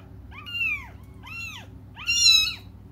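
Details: Young cats cry for their absent mother: three rising-then-falling meows about a second apart, the last one loudest and most strained, with a faint low hum underneath.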